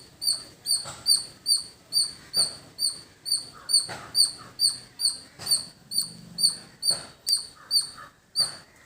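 A squirrel gives sharp, high chip notes repeated steadily, about two each second.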